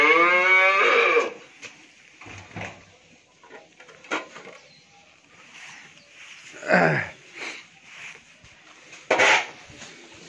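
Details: Pregnant Friesian cow on a dairy farm in Bhangura, Pabna, Bangladesh, nine months in calf before her second calving and giving 25 litres of milk. She lets out one loud, harmonic moo that falls away within the first second, followed by clatter and thumps.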